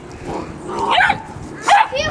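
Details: A 9-week-old Doberman puppy, playing with a rabbit, gives two short harmonic barks about 0.7 seconds apart after being told to speak, with people's voices praising it around the barks.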